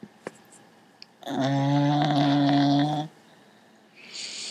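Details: Sleeping Cocker Spaniel snoring indoors: one long, harmonic, droning snore lasting nearly two seconds, preceded by faint clicks and followed by a soft hissing breath.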